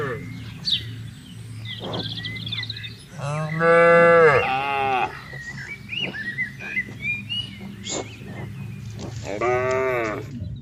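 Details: Cattle being herded into a livestock pen, a loud, deep drawn-out moo midway and a second, higher moo near the end, over steady low rumble, clicks and distant bird chirps.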